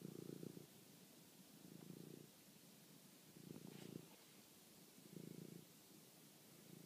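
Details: Toby the house cat, hunting a mouse at night and filmed by phone, gives four evenly spaced bursts of deep vibrating purring, each about half a second long, over a steady hiss.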